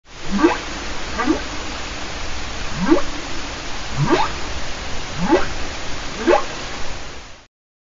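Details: A humpback whale (Megaptera novaeangliae) calls with a series of low, rising whoops, roughly one every second, over a steady underwater hiss.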